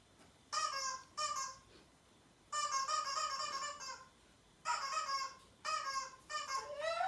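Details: A Siberian Husky howls in response to an annoying sound, with drawn-out, harmonic howls in several bursts, the last one sliding upward.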